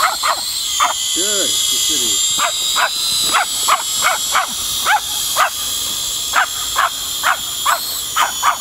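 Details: Seven-month-old Pomeranian puppy reacting to a drone, giving short sharp yappy barks, roughly one or two per second, with a steady high whine of the drone's motors running throughout.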